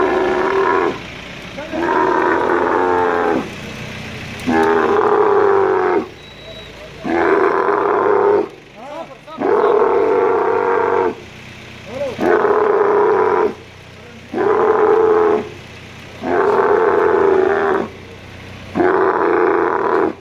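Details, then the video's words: Male dromedary camel, angry while a crane moves it at the Al Ain camel market in the UAE, 21.03.2017, bellows again and again: rich, rasping roars of one to two seconds, about every two and a half seconds. "Moving an angry male camel with crane at Camel Market in Al Ain UAE"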